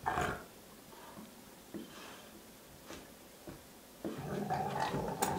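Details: Two domestic dogs, Sox and Louie, wrestling in circles around a house indoors. Brief rough growling bursts in short clusters, with quieter gaps between and a longer, louder stretch of grumbling noise near the end.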